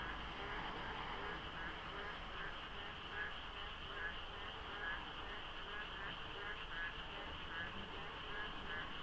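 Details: Before dawn in the rainy season, frogs crowd the night air at the Deokso interchange on the expressway, mist lying over the road. Rhythmic, rattling croaks overlap continuously, so their number is hard to judge, above a low rumble and a constant high whine.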